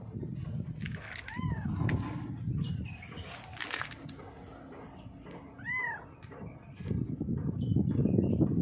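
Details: Female cat, blind in the left eye, hiding under a mixer truck after being called; two clear, arched meows several seconds apart amid low rumbling noise and faint background sounds.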